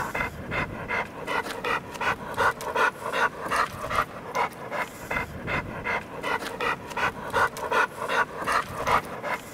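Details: Heavy, steady panting from Duke, a big, gentle American Bulldog with heterochromia iridis: regular breathy huffs repeated roughly every 0.4 seconds throughout, evenly paced and unbroken.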